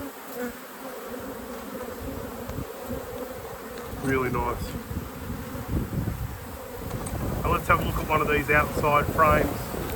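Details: Buzzing honey bee colony in an apiary hive being inspected, a continuous low droning hum beneath a man's voice speaking in two bursts, with some rumbling handling noise.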